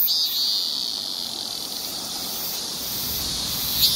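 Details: Male cicada's loud shrill droning noise, a steady high-pitched hiss held throughout with little variation.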